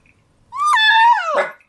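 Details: A 15-year-7-month-old pug whines once, a drawn-out nasal tone that rises, holds, then sags, its usual call asking to go outside though it is raining, 28 April 2013.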